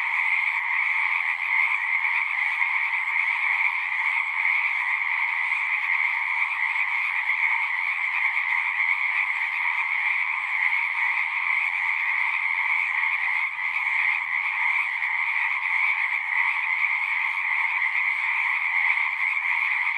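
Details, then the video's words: Dense nighttime-style frog chorus of many singing frogs, continuous overlapping trills forming an even, shimmering drone, a brief dip in loudness near the middle, otherwise unchanging. "One hour of singing frogs."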